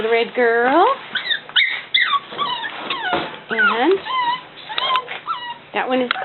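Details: Indoor litter of Cavalier King Charles Spaniel puppies, a boy and his sister, keep up a run of squeaky whimpers and whines, many swooping up then dropping, sometimes overlapping, with brief gaps and a woman's voice in between.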